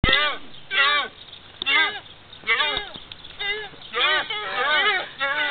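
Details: Several young fallow deer at an animal park in Pennsylvania give short, nasal, bleating barks with a rising-falling tone, about once a second, with the babies lying down.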